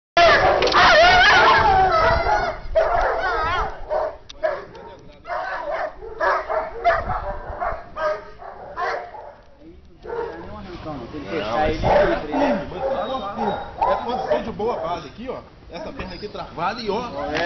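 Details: A Belgian Shepherd in guard-dog attack training gives loud, clipped barks and yips, often in quick runs of two or three, while a man shouts and talks throughout.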